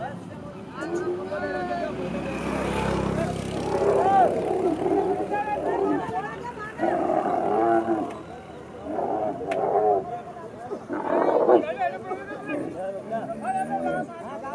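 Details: Angry camel trying to free itself and attacking; loud, harsh harmonic roaring and gurgling groans come in long bursts, one swelling through the first seconds and others after short pauses near the middle and end, with a brief quieter gap between.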